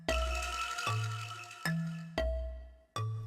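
Only music is heard: a few struck, bell-like notes and low chords, with no animal sound.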